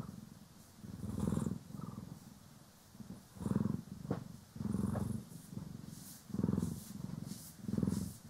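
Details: Cat purring as it is groomed with a brush, one of Poki and Kiwi, stereo sound: deep vibrating purr in breathing swells roughly every 1.2 seconds, with brushing swishes and a faint click.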